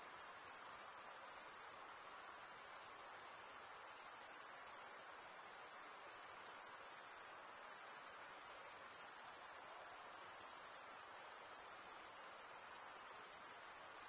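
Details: Dense ringing trill of many crickets, the chirping made by males rubbing serrated wing veins together, sustained evenly with brief slight dips, over faint hiss and no other sounds.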